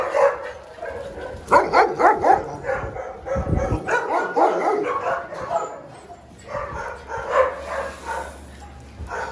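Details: Small dogs letting out volleys of high yaps, a tight cluster of barks followed by a pause, a low thump, then another loose run of barking.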